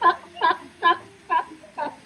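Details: A trained California sea lion at a theme park show in Lowestoft, England, in June 2025 barks on cue five times in steady succession, harsh honking calls about every 0.45 seconds.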